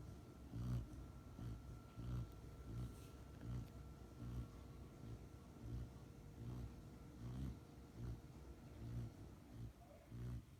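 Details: An almost six-month-old female Rottweiler puppy, fast asleep after coming home from professional training, snores in low, rumbling breaths that repeat steadily about every second and a half.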